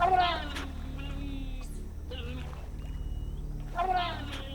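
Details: Giant otter family in the Brazilian Amazon gives agitated, wailing contact calls, harmonic squeals in short bursts over low music, at dusk; a young female is missing and calling grows more desperate as darkness falls.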